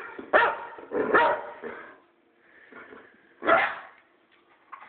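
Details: A boxer barking randomly at its owner indoors: three loud, harsh barks over the first two seconds, a softer grumbling stretch, then one more strong bark near the end.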